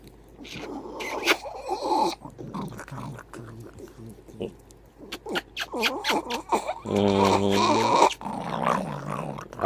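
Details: Hercules, a pet dog moody in the morning, grumbles in short, uneven growly bursts between a person's cheerful talk, ending in a longer, low, droning moan near the end.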